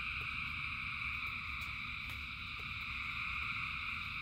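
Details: A massed frog chorus in rain, thousands of voices blended into constant bright stacked trilling, backed by low steady rain noise and several brief crisp drop taps.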